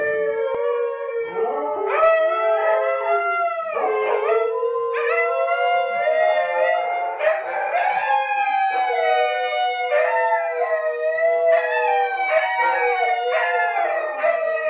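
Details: Three rescued dingoes howl indoors in a studio, in long, wavering tones that slide up and down, several voices overlapping.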